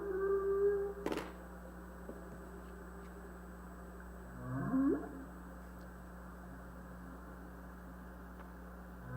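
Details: Humpback whale (Megaptera novaeangliae) song, middle theme, from US West Coast National Marine Sanctuaries: a steady low moan, then a rising, swooping cry after a long pause.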